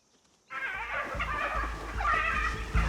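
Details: Several spotted hyenas in South Luangwa give wavering, high-pitched squealing distress calls over a low rumble, apparently getting a hiding in the background.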